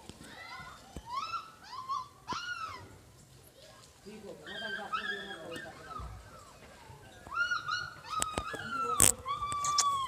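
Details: Siberian Husky puppies in Lahore, Pakistan, giving high, wavering whines and yelps in short rising-falling bursts, with pauses, a lower moaning stretch midway, and a few sharp clicks or knocks.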